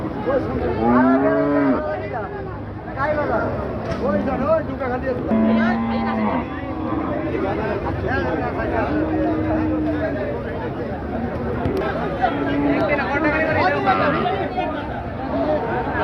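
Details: Lowing cattle at the large Chandimora cattle and goat market in Comilla; several short and medium moos at steady low pitches rise out of a constant din of crowd chatter and market noise.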